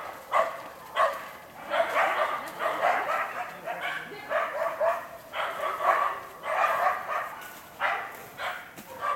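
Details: Two Karelo-Finnish Laikas, a two-year-old and an eight-month-old, bay at a wild boar in an enclosure while preparing for field trials. Loud barks repeat steadily, roughly every half second to second, with brief pauses.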